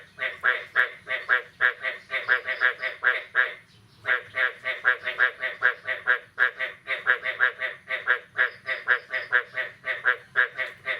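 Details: Frogs calling on the morning of 9 May 2022 after the first rain of the year: rapid series of harsh, pulsed croaks in bursts of about ten, several callers overlapping, one short pause near four seconds.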